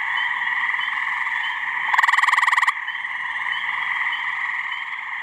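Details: Male gray tree frogs (Hyla versicolor) give loud, musical pulsed mating trills over a deafening chorus in a pond and swamp in New Hampshire, on a warm mid-May spring evening.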